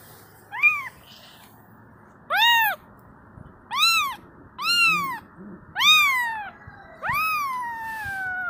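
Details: Kitten crying for its mother, six shrill rising-falling meows roughly a second apart, the final one drawn out and sliding downward, over a steady low background hum.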